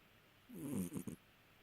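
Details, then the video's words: Domestic cat snoring: a single short, low rasping breath lasting about half a second, followed by two brief nasal snorts, in an otherwise quiet room. "Cat snoring!"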